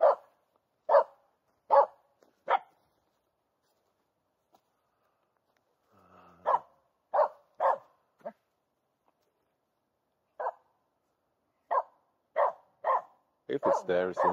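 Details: Finnish Spitz named Aamu, a female dog, barking at a squirrel hidden in a local forest in mid-August. Sharp, single barks come in short runs, spaced under a second apart, with pauses between runs. A rapid burst closes the sequence.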